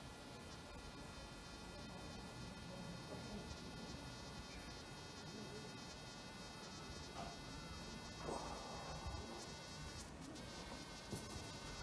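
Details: A mating pair of wasps gives a steady, quiet buzz of many stacked tones, the pitch rising just before they dart off into the sky together.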